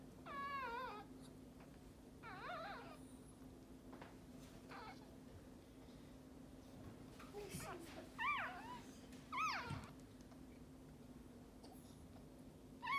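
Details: Maltese dog delivering her second puppy, in a litter of three. Wavy high-pitched squealing cries open the scene, then quiet murmuring and soft human voices, then a few sharp rising-falling squeals near the end, all over a steady hum.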